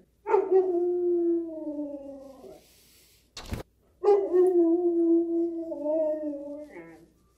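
A Siberian Husky gives two long, mellow howls, each holding steady then sagging slightly in pitch.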